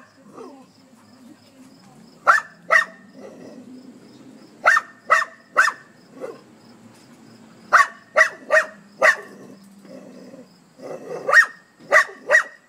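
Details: Dog barking at a hedgehog, with irregular clusters of two or three sharp barks separated by quieter gaps and low background rustling.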